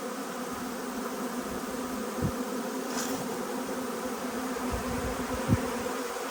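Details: A huge honey bee swarm arriving, a dense, steady droning buzz that holds at an even level throughout, with a low hum and a few faint knocks in the background.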